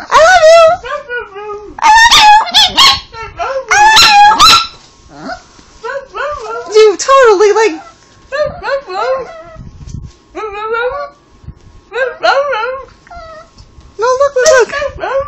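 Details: Chihuahua 'talking' to its owner, prompted to say 'I love you', producing quick runs of short whiny, wavering yips and whimpers, often overlapped by a person's voice.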